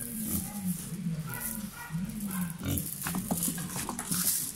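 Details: Black dalmatian pig in the Philippines, kept as a pet and playing with a walis tingting broom, gives a run of low, soft, rumbling grunts that blur into one another, with faint voices and light rustling behind.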